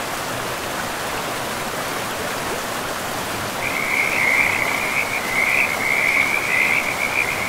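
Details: Frogs calling in a pristine forest by a river: a steady rushing of flowing water fills the background, and from midway a rapid trilling chorus of high, repeated pulses rises over it and continues to the end.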